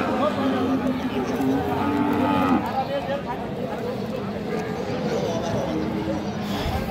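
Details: Friesian and crossbred heifer calves at the Aftabganj livestock market, Nawabganj, Dinajpur, Bangladesh, recorded on Tuesday 3 December 2024. A low, drawn-out harmonic moo lasts about two and a half seconds over steady crowd chatter and market bustle.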